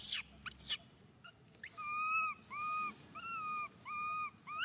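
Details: Baby monkey Suca crying out loudly, hurt after being grabbed by Susan. Rising-and-falling whimpering wails repeat about every half second, each pitched with clear overtones, after a few sharp rustling noises at the start.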